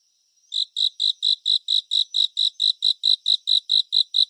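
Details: Cricket chirping in a 3D surround relaxing nature recording: after a short silent start, evenly spaced high pulsed chirps follow at roughly four a second, bright and tonal, with nothing else audible.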